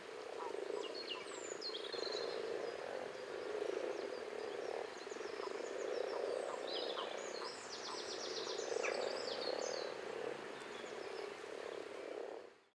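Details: Common frogs (Rana temporaria) purr and grunt together in a low, pulsing chorus that keeps going, joined by busy bird chirps and trills overhead before fading out at the end.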